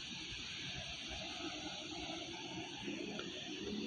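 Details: Steady broadband hiss and muffled room-like ambience at a quiet animal market, with no animal calls.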